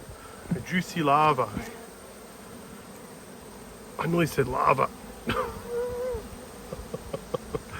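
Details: Bees working around an opened hive during an inspection, dated 19/3/22: loud buzzing passes with bending, wavering pitch sweep close by in bursts, separated by quieter stretches of background hum.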